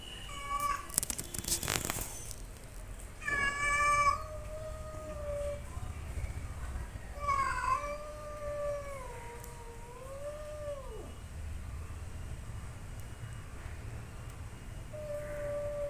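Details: Angry cats fighting and growling: long, drawn-out wavering yowls that rise and fall in pitch and hold for several seconds, broken by sharp noisy bursts near the start and around the fourth second.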